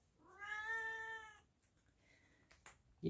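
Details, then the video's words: A domestic cat utters one clear, strong meow of about a second, evenly pitched and richly harmonic, followed by faint soft noises and a short sharp knock at the end. "MENGAJARI KUCING SUARA MEONG MEONG NYA HILANG ATAU TIDAK ADA SUARA"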